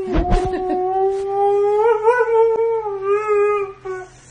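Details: Husky dog giving a long, steady, tonal howl with a slight wavering rise in the middle and a fading end, preceded by a brief noisy burst, indoors.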